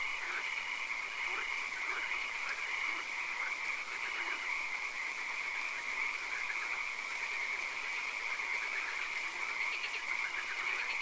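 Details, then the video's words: A swamp at night full of frogs: an unbroken wall of high trilling calls with scattered brief pulsed notes, over a continuous shrill hum and faint low background noise. "Frog Calls, Swamp Sounds and Occasional Rain"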